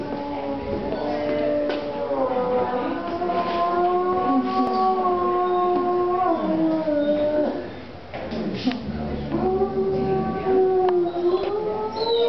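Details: Wolf howling inside the MelePere gallery in Verona, Italy, during the opening of the exhibition "Del Plumbeo", November 2009; long, sustained, layered howls that slide slowly in pitch, with a brief dip midway before the howling resumes.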